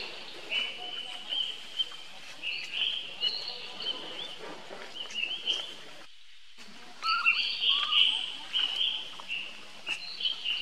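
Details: A young baby monkey squeals for help to his brother Rainbow: shrill, drawn-out wavering cries in repeated bursts, a brief break in the sound, then stronger squealing with scattered clicks and rustles.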